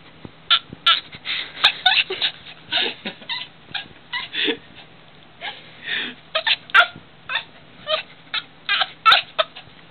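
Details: Female pet dog vocalising in protest as people audibly sniff her the way another dog would, which she reacts to every time; irregular bursts of whiny, grumbling yelps and moans tumble out, some short, some drawn out, over a faint steady hum.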